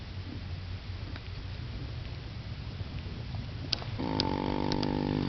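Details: One of the owners' mares snoring or wheezing in her sleep: low, rough rumbling breaths throughout, then a steady humming tone with harmonics joins in for the last second.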